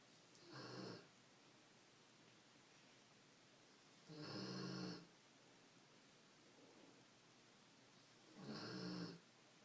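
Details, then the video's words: A female pet pig snoring through her noon nap indoors. Three rasping, breathy snores, each about a second long, come roughly every four seconds, with quiet room tone between them. "Snoring Piggy"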